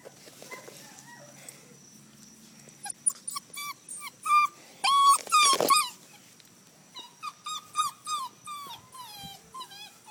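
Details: Red rust Doberman Pinscher puppy playing outdoors, giving a quick series of short, high, tonal whines and yelps, some rising and bending, clustered over several seconds after a quiet start, with one loud rough scuffling burst midway.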